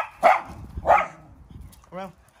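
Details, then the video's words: High-pitched barking from a Maltese x Chihuahua dog squaring up to a mastiff: two quick, sharp yaps, then a brief tonal whine-like sound, with a woman's voice nearby. "high pitch barking. Chihuahua Vs Mastiff"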